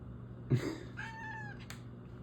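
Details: Indoor female house cat asking to go outside while it is freezing cold out: a soft thump, then a short, fairly quiet meow that holds level and fades, with a low steady hum behind.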